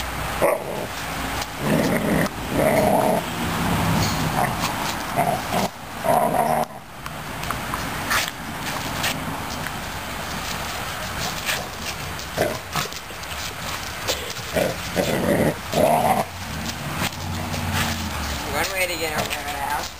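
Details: Newfoundland puppy Suzy Q playing and going after a broom; brief high yelps and rough growls break through near-constant scraping and rustling of bristles on the floor, louder bursts early and again near the end.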